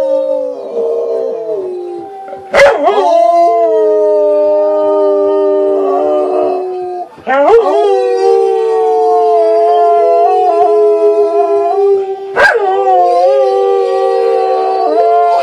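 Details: A female rescue Catahoula Leopard Dog, in her third training session learning to howl at the moon like a wolf, gives long, wavering howls. Each starts with a sharp yelp and slides down.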